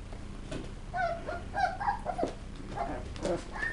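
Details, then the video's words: Whining West Highland White Terrier puppies, thin high whimpers and little yips in short uneven bursts over low room noise. "Puppies - Tricks and Threats - West Highland White"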